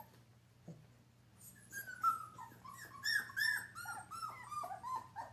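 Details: Indoors, a playing Giant Schnauzer puppy biting another dog's tail gives a rapid stream of high, thin whimpers and whines, many sliding downward, about three per second, after a quiet start with one soft thump.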